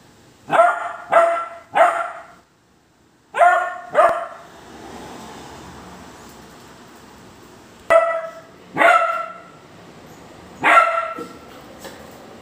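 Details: Basset hound barking: deep, full-toned barks in a quick run of three, then a pair, then single barks spaced several seconds apart, about eight in all, with faint hiss between.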